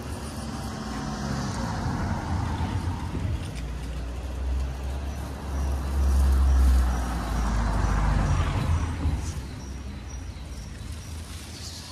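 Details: Street traffic dominates, with engines rumbling, a vehicle swelling past midway and faint brake hiss; no animal calls stand out.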